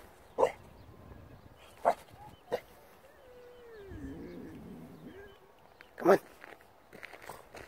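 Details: Staffordshire bull terrier puppy afraid of a traffic cone: a soft, wavering whine that rises and falls over about two seconds, amid scattered clicks and shuffling thumps.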